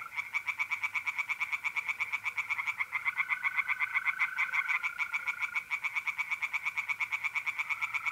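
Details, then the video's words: Tree frogs calling at night from a pond in north-east Italy in mid April: long, fast, evenly pulsed rattles of bright croaks, many voices overlapping, set against the steady whistle-like trill of mole crickets. "relaxing singing tree frogs in pond"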